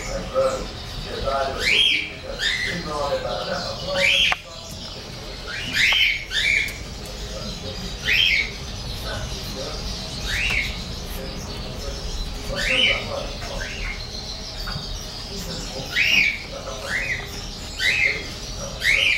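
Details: Whining English bulldog puppies, a 33-day-old all-white male and golden-and-white female, let out frequent piercing squeaks that sweep up and drop, coming in quick uneven runs with brief pauses, over steady low room noise.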